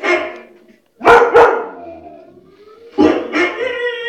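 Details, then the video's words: White shepherd dog giving paired sharp barks, two clusters about two seconds apart, each followed by a fading whiny tone. "white shepherd barking - Witte Herder / Mechelse herder blaffen"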